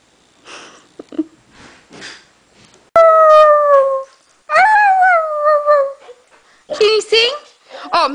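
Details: Norwegian Elkhound Maddie joins a Husky in song: two long, clear, slightly falling howls about a second and a half each, followed by rapid wavering yelps. A person talks quietly before the howling starts.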